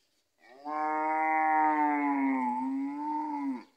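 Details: Gyr bull on a farm in Morazán, El Salvador, one of three bulls offered for sale, giving a single sustained, rich, harmonic moo of about three seconds that dips slightly in pitch midway, then swells before ending abruptly.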